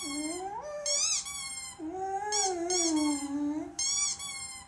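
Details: A dog reacting to squeaky noises it dislikes gives drawn-out, wavering howling whines that slide up and down in pitch. Sharp, high, repeated squeaks cut in over it.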